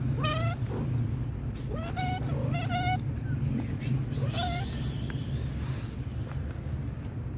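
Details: A young tabby cat on a park bench gives several short, rising meows over a steady low rumble of outdoor noise.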